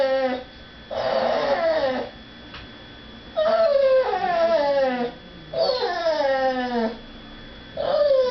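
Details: Female dog whining indoors, kept away from begging at the dinner table while people eat nearby; a breathy cry followed by high whines that slide downward, repeated in bursts a second or two apart.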